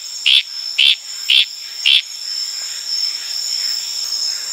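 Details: Litoria frog calling at night in the wild on Tanimbar, Indonesia, tropical forest: four short, bright chirping notes about half a second apart, then stopping, over a steady high drone of crickets and other night insects.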